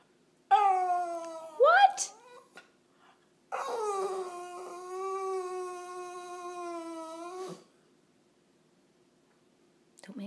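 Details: Dog indoors wanting another dog's bone, scolded by its owner for begging; a rising yelp-like whine, then a long steady moaning whine held about four seconds, followed by silence.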